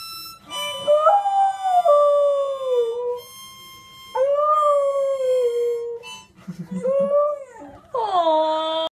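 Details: A beagle tries to sing along with a harmonica, howling in long, sliding, mournful notes over its steady tones.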